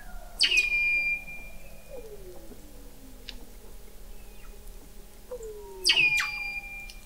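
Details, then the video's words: Under thick sea ice in McMurdo Sound, Antarctica, Weddell seals call at an observatory 21 m down, November 2017: sharp high chirps with ringing tails open and close the passage, between them gliding descending whistles over a constant low hum. "Song of the Antarctic Weddell Seal"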